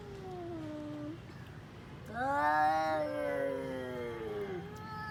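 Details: Orange-and-white domestic cats facing off in a quarrel, trading long moaning yowls; a lower wail falls away, then a louder harmonic-rich howl swells, wavers and sinks slowly over several seconds.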